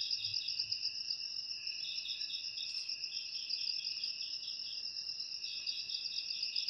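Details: Several crickets trill in a dense, shrill drone while one voice adds quick pulsed chirps about four per second. The recording is offered as a natural way to repel rats indoors.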